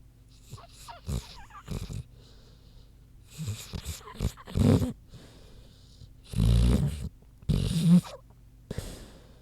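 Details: Queenie the big pig sleeping, giving irregular short snorts and rough breaths in scattered bursts, the loudest a deep snore midway through.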